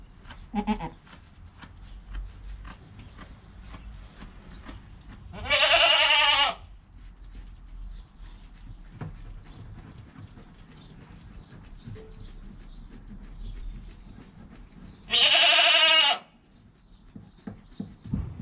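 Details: Goat kid Joel in the first hour after his birth, recorded by GoPro with his mother Penny nearby; two high, strained bleats about ten seconds apart, each lasting around a second, over faint rustles and clicks.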